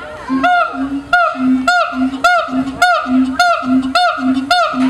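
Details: A siamang at Honolulu Zoo, 2012, calls rhythmically, each low boom answered by a sharp, rising bark, repeating almost twice per second in a steady, insistent pattern.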